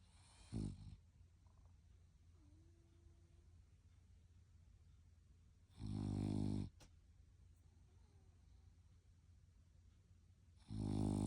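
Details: Snoring French Bulldog: three rough, droning snore bursts, one short and two lasting under a second, spaced roughly five seconds apart, each a low buzzy rumble with airy hiss, in a quiet room.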